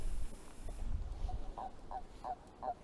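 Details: During a night walk in the countryside at Pujaudran, Gers, southern France, a spined toad (the southern form of the common toad) gives a run of short, soft, mid-pitched croaks, evenly spaced about three a second.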